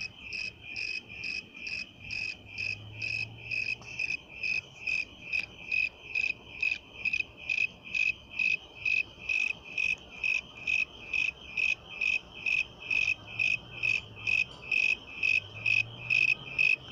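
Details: Continuous cricket song of clear, high-pitched chirps repeated at an even pace of about two per second throughout, each a brief pulsed burst, over a faint low rumble in the background.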